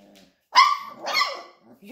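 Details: Labrador Retriever puppies respond to their owner's voice with one loud, sharp, high bark followed by a softer, longer yelp, then faint squeaks. A woman speaking German is heard around them.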